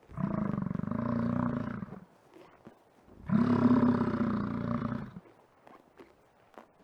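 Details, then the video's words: In Yellowstone park, an American bison lets out two long, deep, growling bellows, each about two seconds, separated by a short pause with faint background rustle. "Efeito sonoro de bisão no parque Yellowstone"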